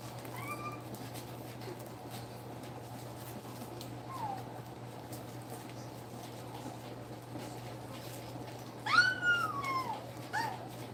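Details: Two-week-old German Shepherd puppies nursing in a litter of eight, giving faint high whimpers early on, then a loud rising-and-falling whine near the end followed by a few shorter squeals, over a steady low electrical hum.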